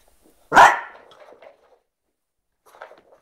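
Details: A French Bulldog gives one sharp, loud bark followed by a short trailing rasp, then quiet until a few faint low sounds near the end.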